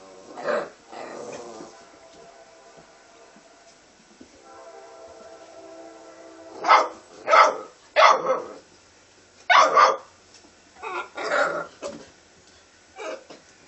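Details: Red nose American Pit Bull Terrier puppies giving high-pitched, yappy barks in irregular bursts, some doubled, with a soft whine or tonal sound between the first barks and the later loud series.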